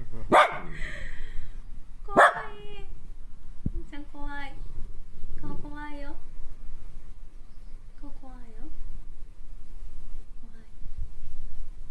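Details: An indoor Kaninchen Dachshund, a female, angry and frustrated about staying home during a state of emergency, gives two sharp barks, then several whining, wavering howl-like barks spaced over ten seconds, fading toward the end, with a woman speaking.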